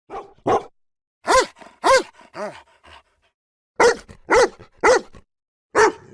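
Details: Domestic dogs barking in loud, rich, harmonic barks with short silent gaps: a quick pair, two strong barks with a softer falling one, then a run of four evenly spaced barks and a final bark.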